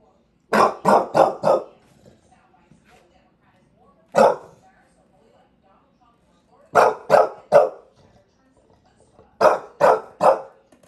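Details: Walter White Jr., a bulldog in New York City, ranting: a burst of four rapid barks, a single bark, then two more runs of three barks each, separated by short silent gaps.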